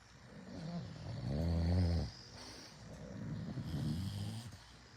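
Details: A bulldog snores indoors so loudly the TV can't be watched, with deep, rattling breaths rumbling low in the throat.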